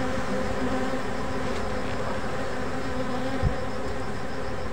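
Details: Forest bees being harvested by a man, the colony giving a dense, continuous droning hum with layered buzzing tones and a single dull thump.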